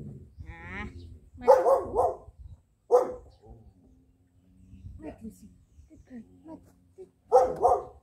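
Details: Jet black Belgian Malinois puppy, a two-month-old female named Lucy, during training: short, sharp, yappy barks in separate bursts near the start, middle and end, mixed with a person's voice praising her with "good girl".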